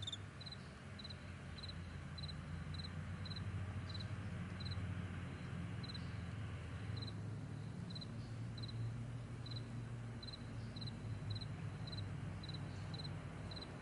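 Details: Crickets in a vast meadow in the morning, a steady train of short, high, evenly spaced chirps, about two each second, over a loud, continuous low rumble like a distant aircraft or traffic.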